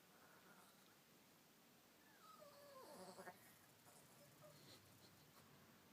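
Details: 11 A Chihuahua, unhappy that another dog is hogging the bed, gives a quiet, wavering gurgle that slides downward and breaks into a goat-like bleat.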